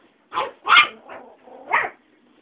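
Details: Five-week-old Alaskan Husky pups, one white male, one white female and one brown male, with small house dogs milling around; a few short high yappy barks and yips in quick succession.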